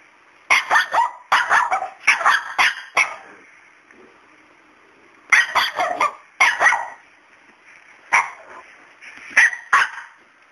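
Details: Household dog barking at Miracle, the fearless cat he seems afraid of; clustered bursts of harsh, loud barks, three to five in a row, separated by quiet gaps of a second or two.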